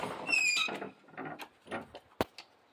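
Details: Gulasha, a Central Asian Shepherd dog, 'talking' while wanting to go outside: a high, wavering whine glides downward, then a few lower, voice-like grumbling bursts, with a sharp knock near the end.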